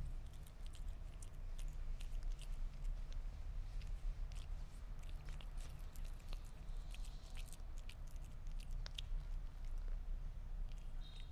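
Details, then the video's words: Sphynx cat eating meat with busy, sticky chewing clicks and soft crunches in close succession, over a low constant hum. "Gato Esfinge Comiendo Carne"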